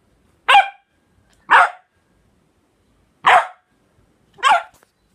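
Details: A corgi who hates the smell of nail polish remover gives four short, harsh, explosive barks in two pairs, with a longer pause between the pairs and a silent background.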